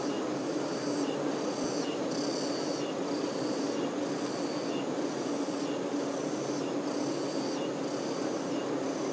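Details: Honey bee workers tending their queen bee produce a dense, steady low hum with a strong droning tone, while faint higher pulsing chirps repeat roughly every second in the background.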